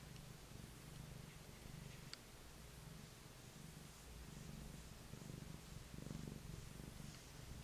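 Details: Male Maine Coon lap cat purring steadily indoors while being petted, a deep low rumbling throb pulsing about once a second, with faint rustling.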